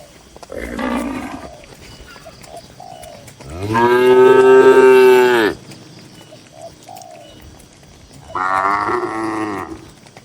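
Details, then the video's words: Dozens of calm, tame cattle kept in a farm pen in the countryside; three moos, the middle one long, loud and deep, the outer ones shorter and hoarser, with faint dove coos between. "Suara Moo Moo Sapi"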